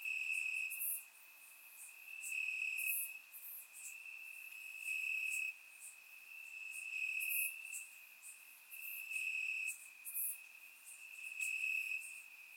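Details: Night chorus of crickets in summer grass, Bulgaria, captured in surround sound: an unbroken high-pitched trill swelling and fading roughly every two seconds, with brief very high insect bursts layered on top.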